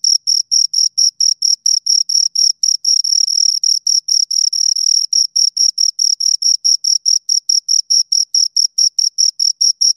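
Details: A pair of crickets keeps up a bright, piercing chirp. Crisp pulses come about twice a second and merge into a longer trill near the middle before breaking back into separate beats. Nothing else is heard.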